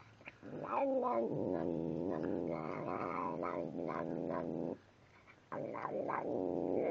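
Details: Tim the cat keeps up a talkative growl while eating, a long wavering harmonic rumble with rising whines, a brief pause, then the grumbling resumes.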